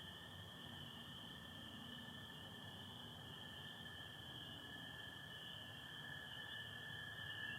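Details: Massed spring peepers on a Michigan spring night, April 24, 2025, form a continuous shrill chorus. American toads keep up a long, even trill below, over a faint low rumble.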